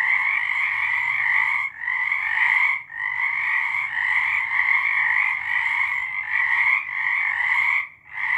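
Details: March 2023 night chorus of frogs: unbroken pulsing trills stacked in two tight bands, pausing briefly about every second or so, with short gaps near two, three and eight seconds.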